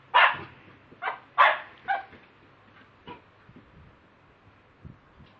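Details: Mobile phone recording of a pet Lakeland Terrier: four sharp barks in the first two seconds, fading into quiet with only faint short sounds afterward.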